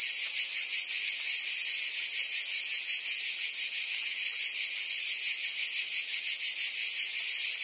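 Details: High, droning buzz of cicadas in forest trees, continuous and uniform in loudness, carrying a quick rhythmic shimmer of roughly three pulses per second beneath the steady tone.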